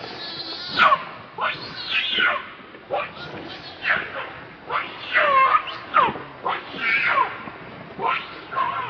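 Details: Baby monkey Leo, also called Rainbow, hungry and begging its mother for milk: shrill, wavering cries that rise and fall, repeated roughly every second in a steady string of sharp wails.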